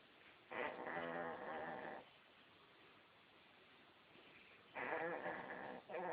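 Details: Sleeping puppy snoring: two long raspy, rattling breaths with steady harmonic buzz, each lasting over a second, separated by a quieter pause, then a shorter third snore at the end.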